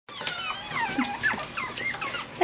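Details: Litter of Pomeranian puppies, 5.5 weeks old, recorded February 19, 2013: thin, high squeaks and whimpers from several pups overlapping in quick succession, with soft clicks and rustling underneath.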